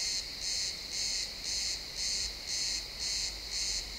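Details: Pine forest at sunset with crickets calling, XY stereo recording; bright high-pitched chirp bursts repeat roughly twice per second in a steady rhythm, with only soft low background hum.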